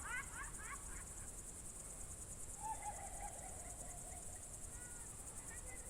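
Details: Evening cricket chorus in June 2023 at Novye Buregi, Novgorod Oblast: a continuous high pulsing trill underlies a short burst of bird chirps and a drawn-out lower whistled note from another animal.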